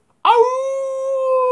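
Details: Dog howling at the big full moon: a single steady, sustained tonal howl holding one pitch with clear harmonics, slightly rising toward the end, lasting over a second.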